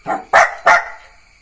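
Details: Jack Russell Terrier puppy barking: a softer opening yap followed by two sharp, loud barks in quick succession, each a bright burst, with a faint steady hum in the background.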